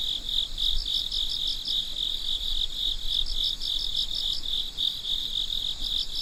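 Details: Crickets chirping at midnight: a steady high trill with bursts of short pulses, several pulsed chirps per second over a continuous ringing tone, with a faint low rumble underneath.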